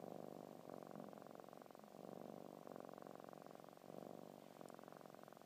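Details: A 5-month-old male Munchkin-type (kinkalow) kitten purrs steadily while kneading his blanket, a low rumbling vibration that swells and fades with each breath.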